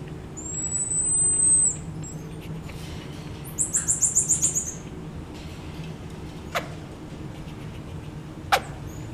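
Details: Black-eared marmoset kept at Japan Monkey Centre zoo in Aichi, moving away when approached: one long, very high steady whistle, then a rapid run of about seven short high chirped notes, with two sharp knocks later over low hum.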